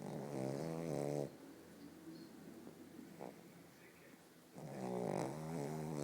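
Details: Asleep, the pug Bóris gives a loud rattling snore, a few quiet seconds of soft breathing, then another buzzing snore.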